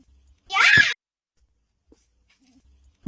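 A fox gives a single harsh, raspy scream lasting under half a second.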